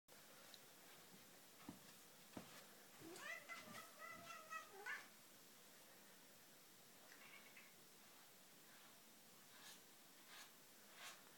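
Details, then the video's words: British Blue cat talking before being brushed indoors: a run of short, harmonic, wavering meows packed together mid-clip, then a few softer chirping mews and faint clicks in an otherwise quiet room. "British blue funny talk"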